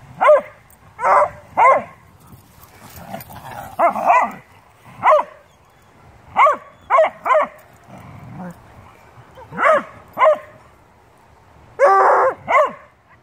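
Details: A beagle/shepherd mix and a bluetick dog 'talking' during play, trading loud, harsh barks and yips in bursts every second or so, some doubled, with brief growly murmurs in the gaps and a bell ringing the round over.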